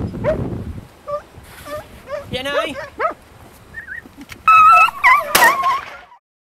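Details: Italian hounds (segugi) hunting hare in Italy give high, wavering yelps and bays that rise and fall in pitch, in irregular bursts over several seconds, loudest near the end; a brief low rumbling sound opens the recording.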